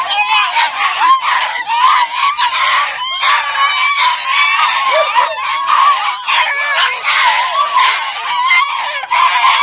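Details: A litter of 47-day-old American Foxhound puppies in Igrejinha, Rio Grande do Sul, Brazil, noisily crying together: many overlapping shrill yelps and wavering whimpers, rising and falling without pause, a busy puppy chorus throughout.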